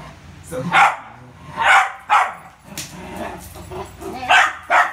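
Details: During ball play, the Poodle Rio lets out five loud, clipped barks spaced irregularly, with a faint murmur of a person beneath.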